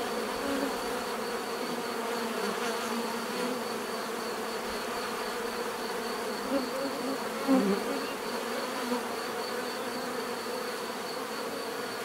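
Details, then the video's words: Many bees buzzing in a steady, dense drone with banded harmonics, a louder close fly-by near the middle of the recording, offered as relaxing natural bee sound. "bees therapy relaxing natural buzzing sound"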